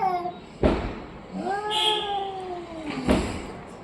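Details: Orange and white domestic cat giving one long, bending meow that rises and then slowly falls, set between two sharp knocks or thuds.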